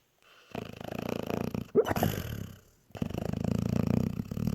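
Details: Sleeping pet dog snoring, a rough rattling buzz on each breath, two long snoring stretches split by a short squeaky snort and a quiet gap.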